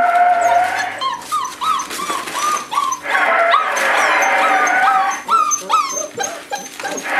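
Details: Puppies at five weeks old beside their mother Cleo: a chorus of rapid, repeated rising-and-falling whimpers, several pups crying at once in short arched squeals, in a small indoor space.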